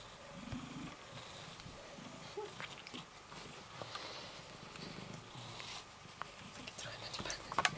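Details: Rysiek, a cat in isolation at the Milanówek animal shelter, purrs while being stroked; a low rumbling purr runs through the clip with soft rustling of fur and handling noises, and a brief faint voice.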